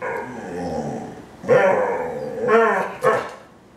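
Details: Female Pit Bull learning to fetch a single-serve bottle of wine from the fridge, giving a few short, rough, muffled barks over a noisy background.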